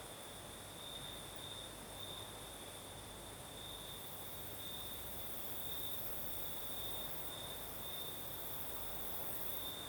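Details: Night chorus of crickets in the south of Crimea, night breeze blowing: one unbroken, even high-pitched trill runs the whole time, a thin higher shimmer above it, over a soft low rumble of wind.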